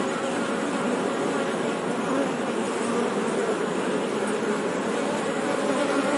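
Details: Steady buzz of honey bees, a full droning hum with a clear low band and busy grainy overtones, constant in level with no pauses, a single faint high squeak partway through.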